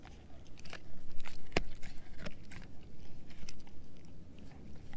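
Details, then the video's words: German Shepherd mix named Edu working on a dehydrated pig ear chew in a small room; quieter, uneven crunches and moist gnawing, one loud sharp crack near the middle, steady bite rhythm. "Edu Eating a Dehydrated Pig Ear Dog Chew ASMR"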